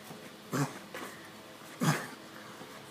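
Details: Pug scratching its itchy neck indoors and making odd sounds: two short low grunts about a second apart, with a person speaking softly nearby.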